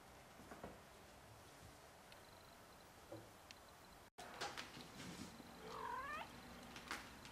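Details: Six-week-old Egyptian Mau kittens make soft, high mews, one clear call climbing and wavering near the end, over low purring and shuffling with a brief dropout midway.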